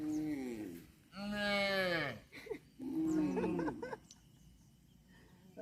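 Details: Cattle giving several short moos in quick succession, the middle one loudest and falling in pitch, each under a second, followed by quiet background noise.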